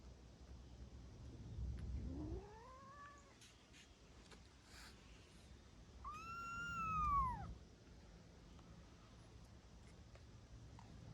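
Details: Kittens, one of three that came into a house for shelter on a rainy day, giving two drawn-out meows, the first rising, the second a loud arched cry, over low indoor rumble.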